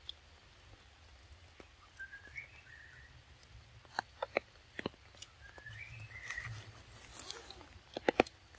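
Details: Baby monkey Lexi, cold and shaking in the rain, gives two thin rising whimpers that bend upward and level off, spaced about four seconds apart, among sharp clicks and soft rustling.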